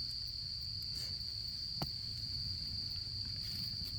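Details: In autumn beside a crackling campfire, insects keep up a constant high thin trill; one distinct snap from the fire stands out near the middle, over a low rumble.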